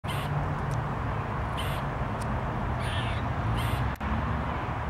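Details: An eastern gray squirrel (Sciurus carolinensis) gives harsh, raspy alarm calls in short bursts, warning of danger, over steady low rumbling noise.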